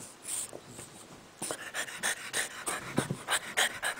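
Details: French Bulldog playing under a bed: after a quiet start, rapid breathy panting sets in, about three to four puffs per second, with soft rustling.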